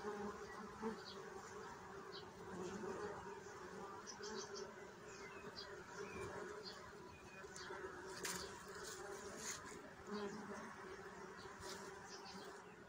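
Bees fill the air with a steady, humming drone of many wingbeats.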